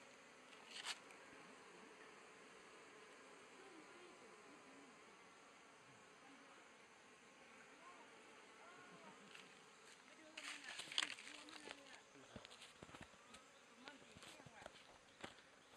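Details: Asian honey bees (Apis cerana) swarming around a log hive as it is opened in Thailand in 2011; a steady, dense drone of many wingbeats with wavering low pitches, broken later by sharp knocks and clicks from handling the hive.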